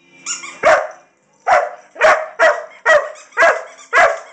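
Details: LadyBug the Irish Setter, wanting her toy, gives a high whine followed by a pause, then six quick harsh barks at an uneven pace.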